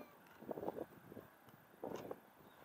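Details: Playful white cat, said to be mad at its owner, gives two short mid-pitched meows, one near the start and another about a second and a half later, over a low steady background hum.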